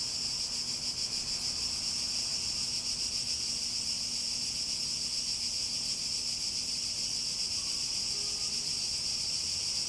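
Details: Cicadas singing in a continuous shrill, high-pitched buzz that throbs with a rapid, steady pulse throughout, never pausing, over a faint low steady hum in the background.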